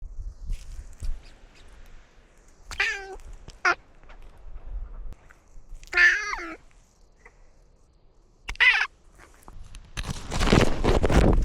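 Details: Outdoor domestic cat wearing a camera while touring a newly renovated outdoor catio and climbing a tree; several short harmonic meows around three, six and nine seconds amid quiet rustling, ending in a loud burst of broadband noise.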